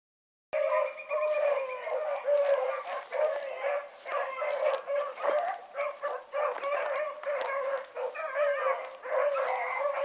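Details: Young hounds, including pups Ringo, Mingo and Choco, running in a pack one morning, baying together in overlapping drawn-out voices, several callers at once, with brief gaps and a sharp start after a moment of quiet.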